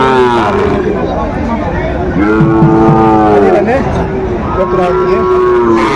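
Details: Sahiwal bull calves at a cattle market in Kurigram, Bangladesh, recorded 4 April 2025: drawn-out, harmonic lowing moos, several overlapping and wavering in pitch, over a steady murmur of crowd and voices.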